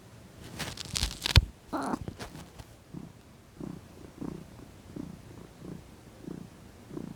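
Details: Female domestic cat lounging and relaxing in the sun. Loud rustling and handling noises fill the first three seconds, then a soft, low purr pulses steadily, about one throb every two-thirds of a second.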